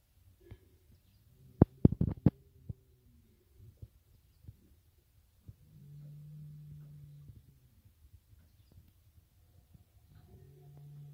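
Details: Berrenda en Colorado cattle, a fighting-cattle breed, in a herd of tame cows with their breeding bull; a low, drawn-out moo of about a second and a half, then another starting near the end, after a burst of sharp knocks and thumps.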